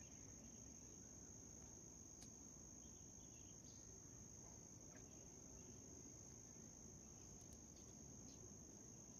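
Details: White cricket giving an unbroken, steady high-pitched trill at one even pitch for the whole stretch, with a few faint short clicks and a low background rumble underneath.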